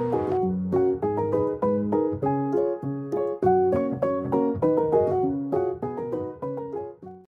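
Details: A gentle piano melody plays steadily throughout, with no animal voice.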